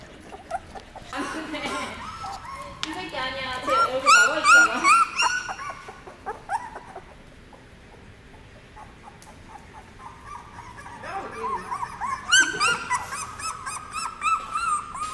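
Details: Seventeen-day-old puppies brought into a dog café for the first time: high whimpers and squeaky yips in quick bursts, loudest around four seconds and again near twelve, with a man talking softly behind them.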